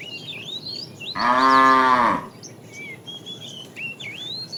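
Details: Tame cow roaming the road in search of food gives a single steady, rich moo of about one second, with birds chirping and whistling before and after.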